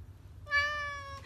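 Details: Domestic cat meowing on cue after its owner sings 'if you're happy and you know it say meow': one clear, tonal meow lasting under a second, held steady then easing slightly downward, with faint low background hum.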